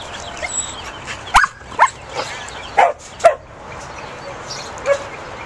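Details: Bouvier des Flandres herding livestock: scattered sharp barks, about six over five seconds, irregularly spaced, over a constant low background rumble.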